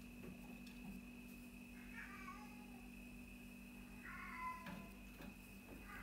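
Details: Cat giving two soft, short, high meows about two seconds apart, the second slightly longer and wavering, against a steady electrical hum.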